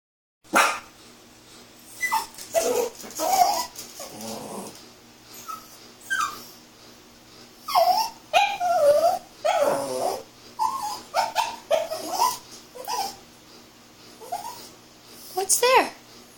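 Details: Puppy making silly sounds while playing with its ball: short whiny yips and whimpers, some rising then falling, come in scattered bursts with brief quiet gaps, a few more grunting and rougher.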